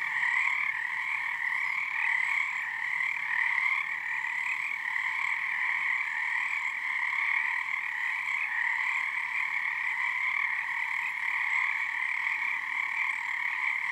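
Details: Frogs in full chorus at Frog Korner on Harstine Island, Washington, numbers growing nightly under the first full moon; a constant, layered trilling of many voices, pulsing slightly in strength without any pause.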